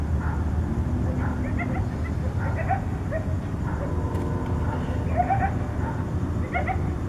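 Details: Several coyotes at night in Tucson trade contact calls: scattered, quick, high-pitched yips and short quavering notes throughout, over a heavy low-frequency rumble.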